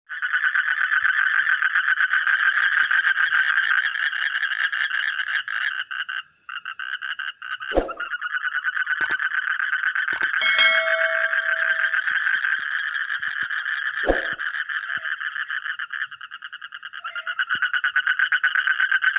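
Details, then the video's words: Frogs calling in a loud, busy chorus in the middle of the night; dense rapid pulsed croaks repeated about four per second, a few sharp clicks and a short tone midway. "Suara Kodok Tengah Malam"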